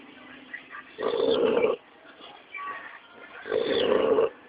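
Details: A three-month-old Pit Bull pup snores while asleep: two loud, rough, throaty breaths about two and a half seconds apart, each lasting under a second, with quieter wheezy breathing between them.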